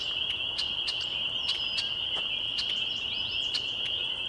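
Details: Evening chorus of spring peepers in May 2021, Laurel Creek Conservation Area, Waterloo, Ontario, Canada: a constant piercing high peep band, overlaid by sharp clicking ticks and a few quick higher chirps near the end.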